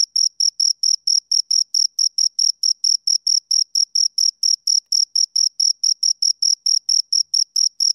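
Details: High-pitched cricket chirps from two crickets, brief bright pulses in a rapid regular train with occasional tiny gaps, nothing else audible.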